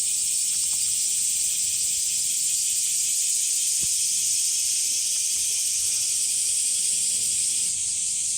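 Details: Hot summer chorus of cicadas beside sunflowers at Umami Hills Park, Japan: an unbroken shrill buzz with a subtle rapid pulse, holding steady, plus a few faint ticks and a soft thud.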